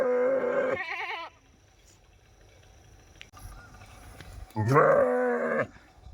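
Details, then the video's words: Sheep bleating at close range: a loud, wavering, harmonic-rich bleat of under a second, a quiet pause, then a second long quavering bleat lasting about a second. "Very Cute Sound Of Sheep"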